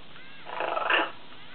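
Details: Tame lion cub producing a short, rough, noisy growl about half a second long, swelling and then fading, with a quiet background before and after.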